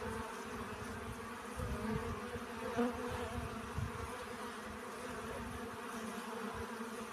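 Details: Steady buzzing of honey bees at work collecting pollen, a smooth layered hum holding its pitch across the whole stretch, with a low rumbling underneath.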